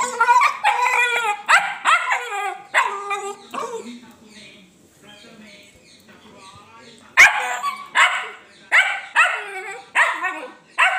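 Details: Pet Dachshund barking during play time with its owner: bursts of sharp, harmonic yapping barks in quick runs, a short quiet gap midway, then barks roughly every second, with faint human voice in the background.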